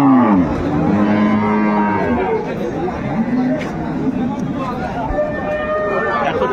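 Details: At Ambari market, Dinajpur, where improved dairy cows and calves were sold on 25 August 2025, a cow opens with a falling moo, followed by fainter lowing amid a busy crowd of chattering people.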